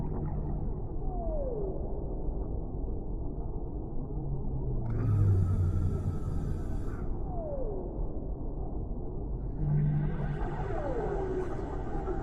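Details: Deep-sea whale song with three long downward-sweeping moans spread across the stretch, accompanied by a low droning hum and a continuous heavy underwater rumble.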